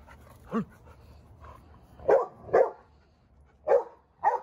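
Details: Young Dogo Argentino, seven months, losing his temper on first reaction: a soft whine-like note, then four sharp barks in quick succession against a quiet background.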